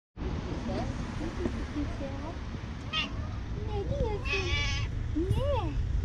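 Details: Cat with a white spot on its tail, living in front of a shop, meowing very loudly for affection and food: several rising-then-falling wavering meows in the second half over a steady low rumble, with a voice nearby.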